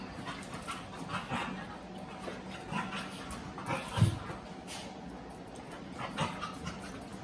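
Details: On a puppy cam, a rescued Plotthound-mix pup named Oatey and Rallo, a Cane Corso/Dogue de Bordeaux pup, share space with mastiff Maggie; brief low grumbling sounds, one deeper rumble midway, amid rustling, knocks and constant hiss.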